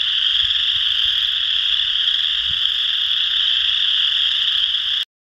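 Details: Many chorus frogs call at once at Potato Creek State Park, Indiana, on March 12, 2016. Each gives a short, rising, creaky trill, and together they blur into a steady, high-pitched ringing that never pauses.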